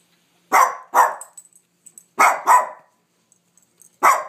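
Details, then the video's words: Dog named Sofia, barking at nothing, delivers paired barks: two quick barks, a pause with faint clicks, two more, then a single bark at the end. "Barking dog"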